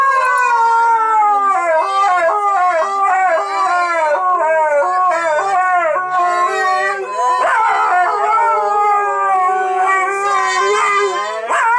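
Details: Bentley and Skylee, two Siberian Huskies, sing "Auld Lang Syne" with a woman; several overlapping voices of wavering, undulating howls rise and fall continuously, blending into a dense chorus.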